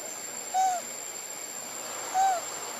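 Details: A baby monkey, alone and calling for its mother, gives two short, clear whistled coos, each dipping slightly, spaced over a second apart.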